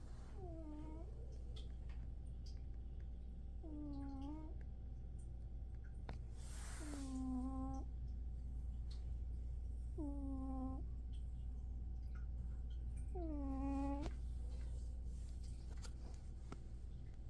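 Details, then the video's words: Snoring of a young house cat, one year old, compared to an old man: five rasping, bowed harmonic tones, each about a second long, repeating roughly every three seconds with the breath over a constant low-pitched room drone. "Stevie snoring like an old man!"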